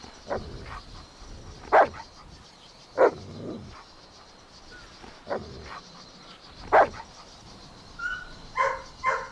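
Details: Golden Retriever puppies playing, running and exploring outdoors in a green meadow; a few short, sharp barks spaced a second or more apart, with a brief cluster of higher yips near the end.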